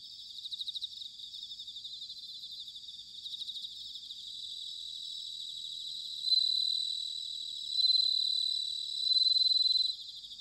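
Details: Bell crickets singing in autumn, recorded in Sanuki, Chiba, Japan: high, bright ringing trills made of rapid pulses, several insects overlapping, with louder sustained ringing phrases swelling near the end.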